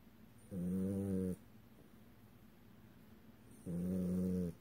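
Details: French bulldog snoring while asleep, showing REM sleep with flickering open eyes; two low rumbling snores, each under a second, about three seconds apart, over faint background hiss.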